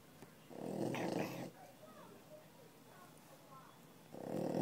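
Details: Dog asleep indoors during office hours at a pet resort, snoring: a rough, rasping breath-noise burst lasting about a second, then quiet, then the next snore beginning about three and a half seconds later.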